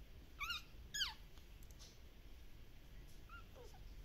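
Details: Active Shiba Inu puppies from a breeder in the Netherlands: two high, sharp yelping whines, each sliding steeply downward with bright overtones, then a pause and a couple of softer, fainter whimpers near the end against low background rumble.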